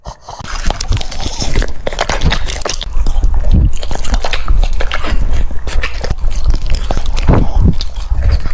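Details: French Bulldog eating cucumbers, close-up crunchy chewing: dense broadband bites and crunches repeated rapidly throughout, with wet smacking and no other clear sounds.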